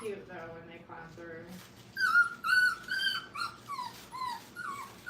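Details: Five-week-old Brittany puppies learning to crate train whine and whimper indoors, with several drawn-out, wavering high whines that fall in pitch and are repeated in quick succession, often overlapping.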